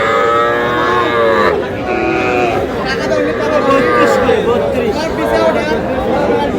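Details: Young bull and heifer calves bought by a farmer in Faridpur, Bangladesh, on 1 August, mooing in long drawn harmonic calls that overlap one another, with steady human chatter and bargaining voices underneath throughout.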